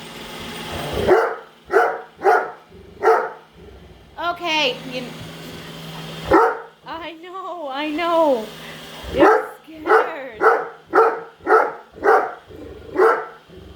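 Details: Padme the Great Dane barks repeatedly at a Roomba at home; rapid loud barks at the start and end, a whining, rising voice and speech in between, and a steady vacuum hum throughout.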